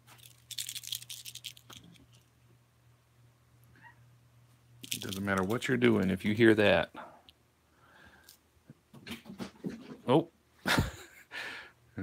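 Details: Alabama kittens and a tabby filmed up close at a cat rescue home on 28 May 2018; a drawn-out, wavering meow with rich harmonics lasts about two seconds midway, framed by human voices, soft clicks and a steady low electrical hum.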